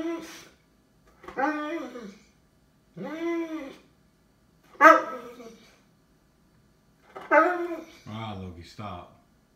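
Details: Indoor recording of Lord Loki the Cane Corso searching for its toy: drawn-out, arched, talking-style barks and groans come every couple of seconds, about five in all, with a person's voice between them.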